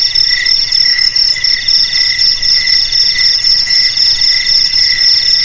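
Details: Crickets (jangkrik) sounding as a traditional rat repellent: a shrill unbroken ringing over fast pulsed trills, with a lower chirp pulsing in quick succession, a dense layered insect chorus throughout.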